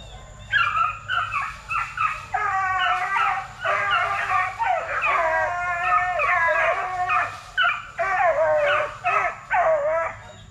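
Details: Several Plott Tan puppies, a Plott Hound and Black and Tan Coonhound cross, between 8 weeks and 5 months, kennel-raised at TTG Kennels; overlapping rising-and-falling howls, yips and whimpering bays, nearly continuous for ten seconds.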